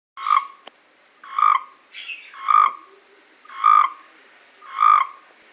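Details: A frog in Cape Town gives short, nasal, ringing croaks, repeated steadily about once a second.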